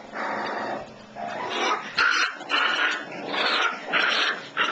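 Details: Young Shiba Inu puppies giving loud, continuous growls broken by higher yipping notes, with several overlapping bursts in quick succession.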